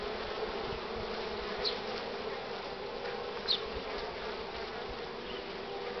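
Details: Honey bees crowding at the hive entrance, loaded with pollen, on a strong-sun but cool morning, 24 March 2019 at 9:45; a dense, steady hum of many wings with a few louder buzzes of bees passing close.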